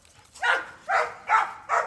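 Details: Retriever family dog playing hard, giving four harsh, breathy huffs spaced roughly every half second.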